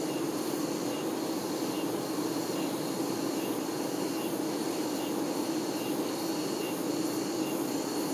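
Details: Honey bees, workers looking after the queen, produce a steady dense buzz with a low humming core; faint thin high whines rise and fall above it.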